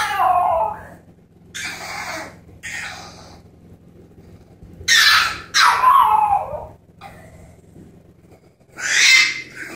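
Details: Female French Bulldog puppy left in her pen during cleaning cries: a series of high, wavering, baby-like wails and whines, some strained and breathy, separated by pauses of one to three seconds, indoors.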